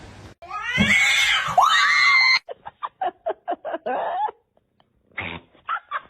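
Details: Cat giving a loud, drawn-out wailing yowl that dips and rises again over about two seconds, followed by a rapid series of short clipped sounds and a few brief meow-like calls.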